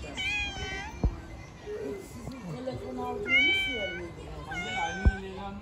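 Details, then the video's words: Hungry stray cats living on the street meow as they ask for food: three drawn-out, harmonic-rich meows, each under a second, with a person's voice, a lower murmur and sharp knocks between them. "The Hungry Cats living on the street all came to me and asked for food."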